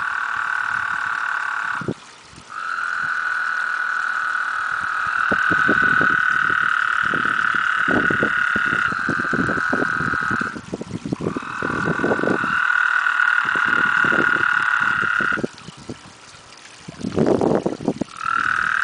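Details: Eight loud toads mating in a backyard pond produce continuous overlapping steady trills, broken by brief gaps, over frequent splashing and water sounds.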